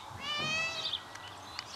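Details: Domestic cats heard from behind the walls of a house where a hoarder keeps dozens of cats, a sound neighbours point out: one drawn-out, slightly rising meow with many bright overtones, then faint clicks and quiet outdoor background.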